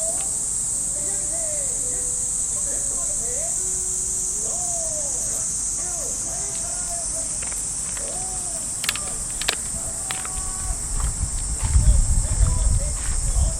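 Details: Cicadas in park trees on an early summer morning in Japan, a steady high, hissing drone running unbroken throughout, with faint distant radio calisthenics voice and music, footsteps on the path and rustling near the end.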